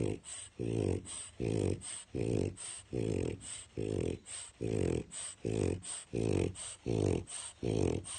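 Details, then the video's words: French Bulldog named Grummit snoring very loudly while napping in his crate one afternoon indoors; harsh, rasping low snores repeat steadily, roughly every three-quarters of a second, each a broad throaty burst with brief quiet gaps between breaths. "Snoring French Bulldog gets Woken from Nap"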